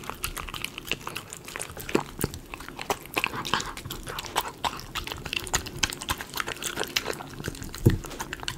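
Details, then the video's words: Close-up chewing of a Miniature Schnauzer dog eating chicken pot pie premium dog food: steady rapid crunching and smacking with soft low thumps, and one loud bite near the end. "Miniature Schnauzer eating Chicken potpie"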